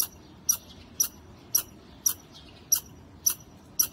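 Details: Chattering squirrel on a wall repeats short, bright, clicking chips at a fairly even pace near two per second, eight notes in quick succession against a calm backdrop.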